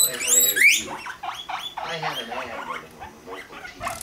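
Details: Guinea pigs Rumply and Fluff (five months old) mating: opens with a sharp rising whistled squeal, then quick repeated harmonic chirps, roughly three per second, fading into softer rumbling pulses.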